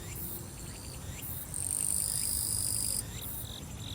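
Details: Summer grass insects on Soyosan mountain, Korea: a loud, steady high-pitched buzz swells from about 1.5 to 3 seconds over rows of short repeated chirps, with a low background rumble throughout.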